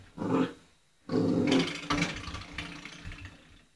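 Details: Old English Sheepdog puppy, eight weeks old, playing with a doorstop indoors: two short, rough, low growling bursts separated by a brief pause, the second longer and trailing into scuffling noises.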